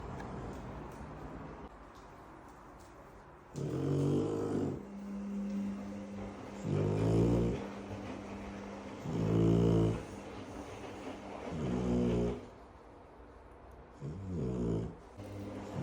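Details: Shar Pei dog snoring: loud rasping, rumbling breaths repeated about every two to three seconds, five clear snores in a row, each lasting about a second, with quieter breathing between.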